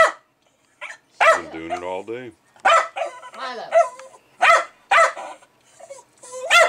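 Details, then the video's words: Excited Jack Russell Terrier agitated by a bubbling beer fermenter indoors: a drawn-out whining growl followed by bursts of loud, sharp barks, with a man talking to the dog. "Jack Russell "Milo" Going Crazy Over Beer Ferementing"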